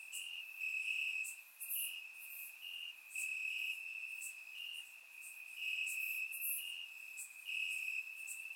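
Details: Summer-night crickets chirping in grass in Bulgaria, captured by a surround microphone: an unbroken shrill trill that swells and fades in irregular waves, with brief higher insect clicks overhead.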